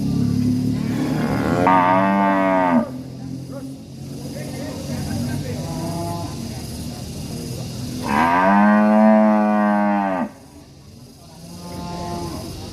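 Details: Enraged cattle in a village setting in Indonesia, with two prolonged, loud bellowing moos about two seconds long separated by a quieter stretch of background hum and murmur.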